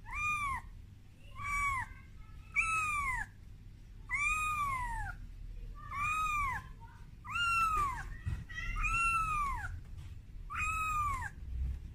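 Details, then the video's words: Frightened kitten Momo calling its mother Amora when first brought out of its room; about nine high, arched mews in a steady series roughly every second and a half, over a low indoor rumble. "Suara Bayi Kucing Menangis"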